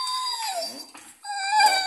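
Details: Cane Corso dog whining indoors: a drawn-out tonal whine that falls, breaks off briefly, then resumes as a steadier, slightly rising whine with strong overtones.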